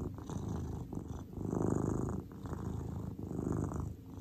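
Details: Cordelia, a grey cat, purring indoors while relaxing: a low, steady rumbling purr that swells and fades with each breath, roughly once a second, with no other sounds.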